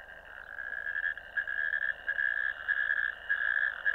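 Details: Ditch-dwelling natterjack toads on 1 May 2024, filmed by camera: a harsh rattling trill starting quieter, then growing louder in uneven pulses, with brief dips between bursts.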